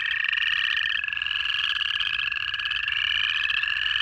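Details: Native frogs calling in the Georgia Piedmont in January, a dense chorus of high trilled and peeping notes forming a continuous band, with overlapping callers and a steadier lower tone beneath throughout.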